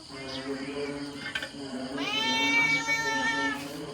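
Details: Cat meowing among people talking in Khmer: a drawn-out, harmonic-rich meow that swells and holds for about a second and a half, with steady voices and background chatter throughout.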